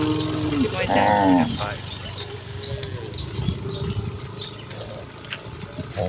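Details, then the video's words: Village cattle herd running excitedly toward the pen: a short, deep harmonic moo rises and breaks near the start, then fades, with high chirping birds scattered throughout. "Kawanan sapi lembu yang berlarian menuju kandang dengan kegiranganan dengan suara moo khas sapi desa"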